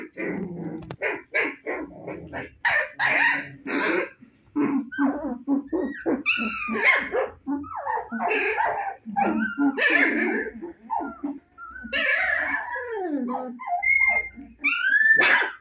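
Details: Several 25-day-old Husky puppies whose eyes have just opened, playing: a near-constant overlapping chatter of yips, squeaky barks, little growls and wavering whines with hardly a pause.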